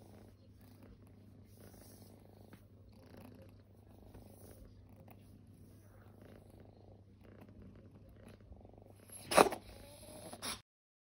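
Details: Resting kittens, once homeless, purring softly indoors: a low steady rumble with gentle rhythmic swells about once a second, continuing for around ten seconds, then a sudden sharp rustle or knock near the end before the recording cuts off.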